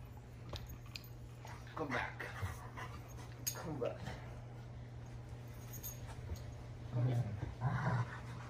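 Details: A 10-month-old male German Shepherd gives throaty, warbling, Chewbacca-like groans and whines while play fighting, with a person talking.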